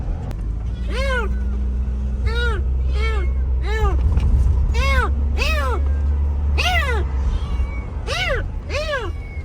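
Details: Rescued stray kitten, abandoned and left two days in -11°C snow, calls in repeated high arched meows roughly every second, with a deep continuous hum beneath and faint voices.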